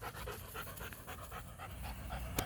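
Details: Show-line German Shepherd puppies from Florida; quick, soft, rhythmic panting breaths, roughly four or five a second, steady throughout, over a low background rumble.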